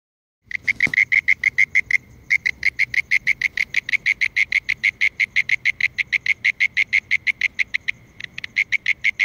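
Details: Mole cricket calling: a loud, steady trill of rapid pulses, about three per second, shrill and buzzy, running almost unbroken after a brief start with one short pause.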